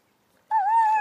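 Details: German Shepherd Bella fussing about leaving: a sudden, sustained high whine, steady with a slight wobble, after a quiet pause, while a person coaxes her to come.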